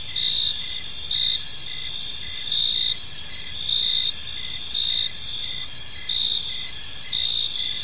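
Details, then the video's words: Evening park chorus of crickets: continuous high, shrill trilling in several stacked bands, brief louder pulses recurring roughly every second, faint low rumble of environmental noise beneath. "Park Serenade: Cricket Sounds in a Peaceful Park | Evening Ambience"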